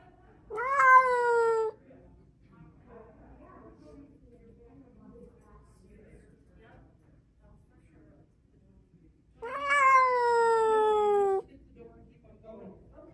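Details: Domestic cat, unhappy at the vet, recorded 6 May 2024 indoors: two long, drawn-out, harmonically rich meows, each lasting one to two seconds and about eight seconds apart, with a quiet room between them.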